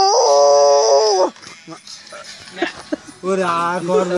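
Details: Dog howling: a long, steady, mid-pitched tone for just over a second that dips at the end, a quiet gap with faint rustles, then a second drawn-out howl sliding gently downward; a thin, steady high whine runs beneath the first howl.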